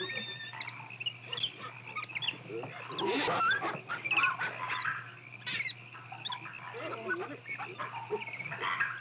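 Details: Rhesus macaques, including babies staying close to their protective mothers, give overlapping high squeals, chirps and short rising calls in an irregular chatter over a steady low hum.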